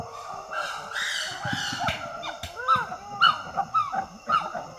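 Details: Wild chimpanzees in Tai Forest, Ivory Coast, West Africa, females screaming at each other: overlapping harmonic cries arch up and down, shrill rising-falling wails crowding together, with several voices joining in a tense exchange.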